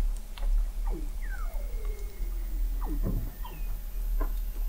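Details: Weddell seals recorded in November 2017 at the McMurdo Oceanographic Observatory, 21 m beneath sea ice in McMurdo Sound, Antarctica: several overlapping downward-gliding whistles and short chirps over a constant low rumble.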